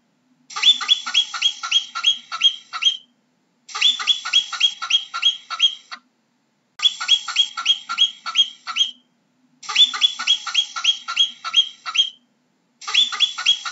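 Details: Marmot calling in bursts of about eight sharp, high, nasal chirps in quick succession. Each burst lasts roughly two and a half seconds and returns after a brief silence, about every three seconds, against a clean, quiet background.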